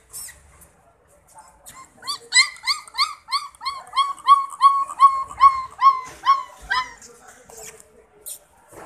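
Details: French Mastiff puppy in India; a quick series of about fourteen high, rising whining yelps, each under half a second, loudest in the middle, with quiet before and after.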